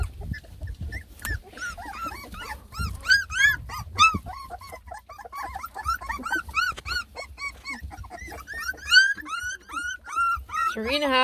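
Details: Ten Beagle puppies, lemon and tricolor, fussing while tasting food for the first time; steady overlapping arched whimpers and yips from several pups, with low rumbling and background music.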